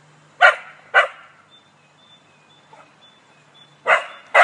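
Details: Cocker Spaniel being mocked by a squirrel: two loud barks, a near-silent gap of about three seconds, then two more barks, over a low constant hum.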